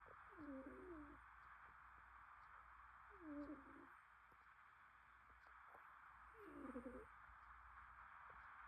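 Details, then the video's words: Relaxed cat snoring and purring in autumn, with soft, wavering nasal breaths that rise and fall, repeated roughly every three seconds over a steady low room hum. "Snores And Purrs"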